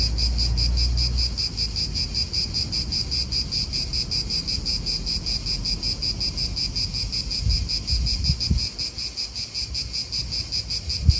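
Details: Continuous cicada chorus in an Italian park, a shrill rapidly pulsing buzz that never stops, set against gusty wind rumble and occasional low thumps of nearby cars.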